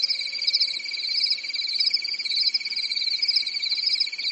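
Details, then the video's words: Summer night in Europe with crickets: unbroken shrill pulsed trilling from many insects, evenly loud, a slight faint tone underneath early on, no other animals. "Grillen zirpen in der Nacht"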